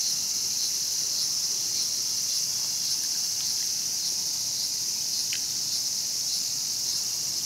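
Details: Cicada held by a feeding mantis, Showa Kinen Park, Tokyo, 2020. Constant high-pitched buzzing with gentle pulsing, plus one short sharp click midway.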